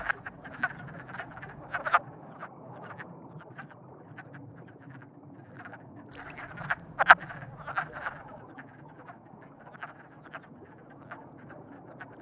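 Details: Frogs described as in love give scattered short, rattling croaks, single or in brief clusters, with a louder burst near the middle and a low steady background hum.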